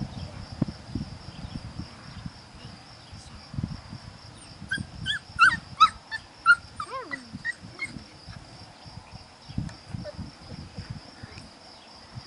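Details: Puppies aged five weeks, offspring of Priscilla and Max: scattered whimpers and short yelps with rising and falling whines clustered mid-clip, over low rumbling background noise and a constant high-pitched tone.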